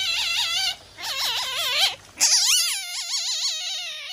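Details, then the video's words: A captive masked palm civet at a tropical zoo gives high, wavering squeals in three bursts, a sign of irritation. "イライラ中のハクビシン！！ついにブチギレ！？高い鳴き声を出している理由は？？"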